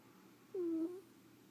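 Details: Leo the ferret asleep indoors, giving one brief, steady, squeaky tone during a snoring breath, with a soft low room hum underneath.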